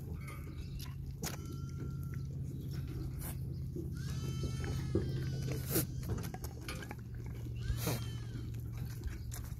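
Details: Playing baby goats bleat several times, with a short level call early, a longer quavering bleat near the middle and another toward the end, all over constant low droning background noise.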